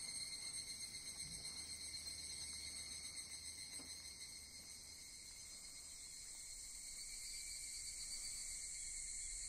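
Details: A chorus of evening cicadas at Sugimoto-dera temple, Kamakura, in darkness on the morning of August 10 near the candlelit stairway. The dense, high ringing drone pulses in quick waves, eases midway, then rises again.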